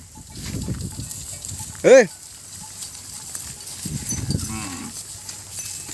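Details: Cattle being herded back to their pen across a grassy field, with one short, loud, harmonic moo near the middle and a softer, falling low call later, amid people's shouts and calls.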